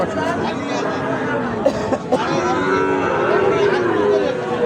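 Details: Sahiwal bull calves for sale at Ambari haat, a livestock market held on Fridays and Mondays. A drawn-out, tonal moo rises and falls over a steady hum of crowd chatter and nearby voices.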